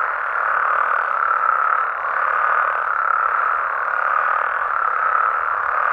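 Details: Nighttime chorus of Mexican frogs and toads: many overlapping mid-pitched croaking voices merge into a continuous, gently pulsing drone with no pauses and no other clear sounds.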